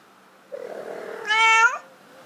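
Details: Domestic cat calling during a mating attempt indoors; a low, soft murmur rises into one loud, strained, nasal yowl lasting about half a second before fading.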